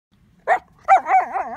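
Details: Border collie playing obsessively with an ice chunk, compulsive behaviour usually seen with rocks: a short sharp yip followed by a loud wavering whine that rises and falls several times.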